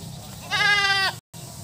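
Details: Goat at its small hut giving a single loud, steady, nasal bleat lasting about half a second, rich in harmonics, against a low background hum.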